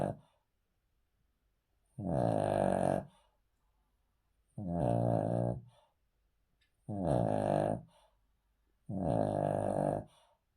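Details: Male Cavalier King Charles Spaniel asleep on the floor, snoring: four harsh, buzzy, harmonic rasps about a second long, spaced roughly two seconds apart with quiet gaps between breaths.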